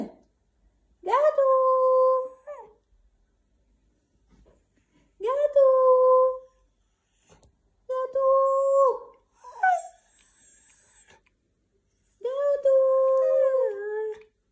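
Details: White husky talking: four drawn-out, steady, tonal moans, each lasting one to two seconds with a level pitch, separated by silent gaps of a few seconds, with a short yelp between the third and fourth moans.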